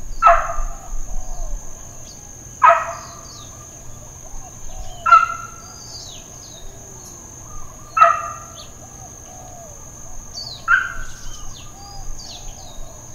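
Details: Dogs barking intermittently at Hawaiian Paradise Park, Hawaii, on Labor Day, September 2, 2024, in an unedited recording: single sharp barks spaced about two and a half seconds apart. A steady high electronic-like whine and faint bird chirps fill the background.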